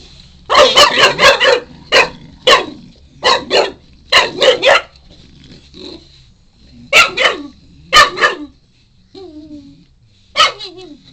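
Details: Four-month-old Shar Pei puppy wanting a chew and making funny noises: rapid clusters of loud, harsh barks and yips, pauses between bursts, and a couple of drawn-out falling whines near the end.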